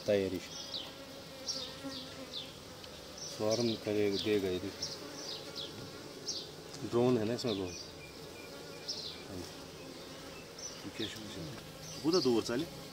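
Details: Asian honey bee colony in an Apis cerana hive opened for the first time in 2023; a steady low buzzing hum runs throughout, broken by short bursts of human voices at intervals.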